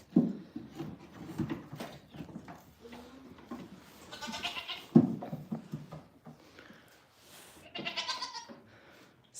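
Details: Farm goats on a cold morning, calling out and complaining as morning chores begin late; two loud, drawn-out nasal bleats with rich harmonics, around the middle and near the end, over low rumbling handling noise.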